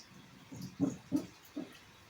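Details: A rescue female English Bulldog in England gives a few soft, muffled, low yaps while asleep, spaced unevenly; sleep yaps.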